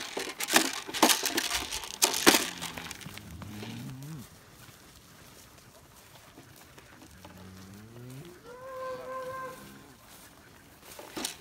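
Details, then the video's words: Texas Longhorn cattle being penned by working dogs in September 2018: after early crunching and clattering, two drawn-out, low, harmonic moos rise and fall, the second longer and higher; a man's voice and faint background sounds follow. "Lacy Dogs Penning Longhorn Cattle"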